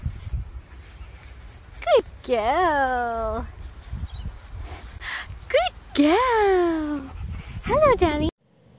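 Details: Playful Dachshund, a sausage dog, giving a series of drawn-out, tonal whining yowls that rise then slide downward, some short and sharp, others stretched to about a second, with quieter rustling between calls.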